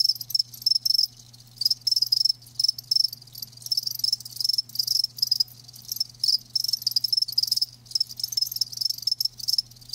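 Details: Crickets, kept live, give fast trains of high pulsed chirps in quick clustered bursts with short pauses, a soft low hum running underneath throughout.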